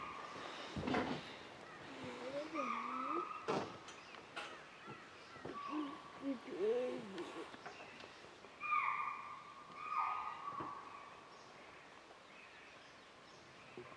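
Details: A deer gives sharp, high, clipped alarm calls for an unseen leopard at Bandhavgarh National Park, Tala zone, on a morning safari on 16 December 2018, with hushed human voices nearby.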